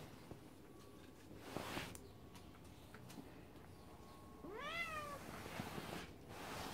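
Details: Scottish Fold kittens; after several seconds of rustling and faint clicks, one kitten lets out a brief arched meow that rises then drops, followed by more shuffling.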